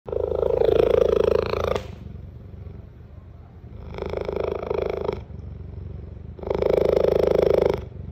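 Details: A young female cheetah at Cincinnati Zoo purrs loudly in long rumbling bursts, each lasting one to two seconds with short pauses between.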